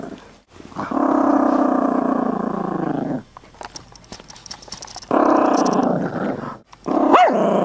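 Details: Chihuahua mix growling over a bone, acting tough; two long, steady, buzzy growls of about two seconds each, with a short squeaky whine near the end.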